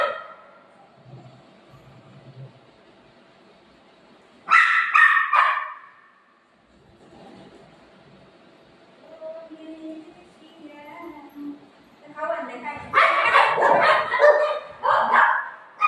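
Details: Golden retriever and shih tzu puppy fighting indoors: soft whining and whimpers, then a burst of sharp barks near the middle, quieter yips, and a dense run of overlapping barks and growly yelps at the end.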